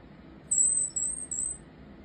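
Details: A pet Richardson's ground squirrel (Urocitellus richardsonii) gives a whistle call: a thin, very high whistle in three quick, nearly joined bursts.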